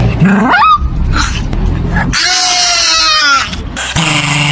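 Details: Dog making strange noises. A quick rising whine opens, then long wavering, tonal howl-like notes in the middle and a lower drawn-out tone at the end, mixed with music and speech.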